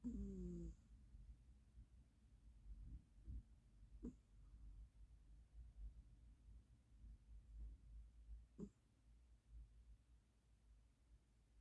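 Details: Moses, a ginger house cat, sleeps and snores a bit loudly: low, husky breathing rumbles with a short higher sound at the start and occasional sharper snorts, otherwise a quiet room.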